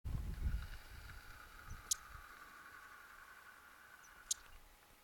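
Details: Mongolian marmot, or tarbagan, on the Khan Khukhii ridge in Mongolia on 31 July 2010. Two short, sharp high chirps about two and a half seconds apart, with a low rumble of wind or handling at the start.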